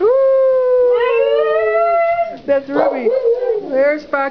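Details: Several pet Siberian Huskies howling in greeting, prompted one by one by an owner; two overlapping long, steady harmonic howls, one sliding slightly upward, then wavering, broken yodel-like notes.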